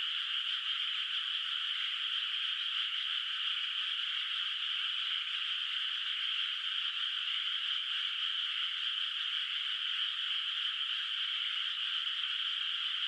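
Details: Distant frog chorus echoing over a moonlit rice field in the countryside at night, before rice planting; many overlapping calls form an unbroken, even, high buzzing wash throughout.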